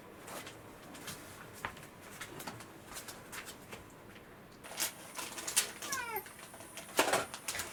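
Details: Rescued house cat waiting for a late breakfast on a hungover morning; one short falling meow near the six-second mark, with tapping, rustling and a steady high whine indoors.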